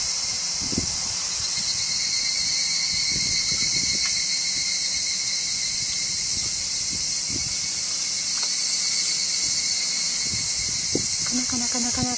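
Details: Evening cicadas (higurashi) give a steady, shrill, high-pitched "kana-kana" ringing chorus that never pauses, recorded on 12 August 2014 during an Obon visit to a grave.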